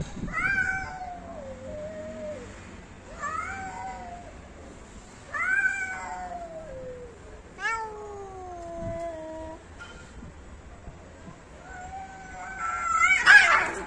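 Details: Domestic cats fighting: a series of long, wavering, drawn-out yowls, each stretching about a second or more with strong harmonics, some bending downward, repeated every few seconds and ending in a harsh, loud hissing spit.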